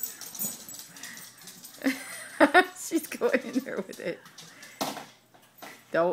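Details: A dog barks excitedly indoors while playing with and throwing a toy car: short, sharp, harmonic barks in a burst around the middle, over steady human speech and laughter in a small room.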